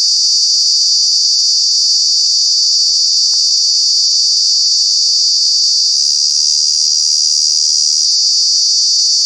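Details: A cicada, a true bug, calls in Kanha National Park during the summer months. The intense high droning holds constant, its pitch dipping slightly just past the midpoint, with one faint brief click.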